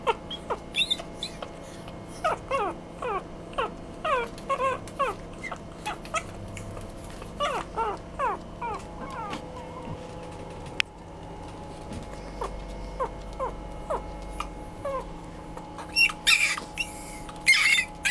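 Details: Chihuahua-Poodle mix puppy; rapid series of high, thin whines and squeaks, many short falling yelps in bursts, with a steady electrical hum underneath and some clattering noise near the end.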